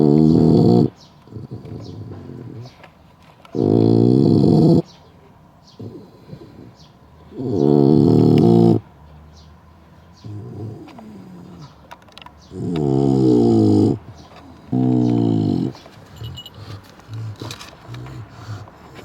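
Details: Bulldog napping and snoring loudly: five long, rasping, harmonic snores, each about a second, come roughly every three to four seconds, with softer breathing and snuffling between them.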